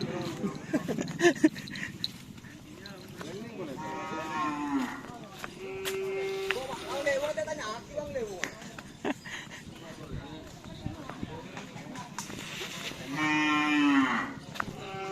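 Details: Cattle at karapan sapi bull race training on the Asemanis field in Pamekasan, with the Singo Barong (Can Macanan) team; several long, drawn-out moos, a second at mid-clip and another near the end, over constant crowd chatter and shouting.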